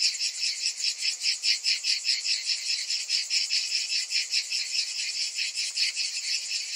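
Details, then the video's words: Cicadas in summer, a dense high-pitched buzzing chorus pulsing in rapid regular throbs about two or three times a second, steady throughout with no other sounds. "Cicadas in Summer"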